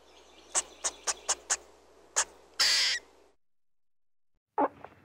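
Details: Squirrel making a quick series of six sharp clicks, then one long harsh rasping burst, followed by a short silence and a lower chattering burst at the end.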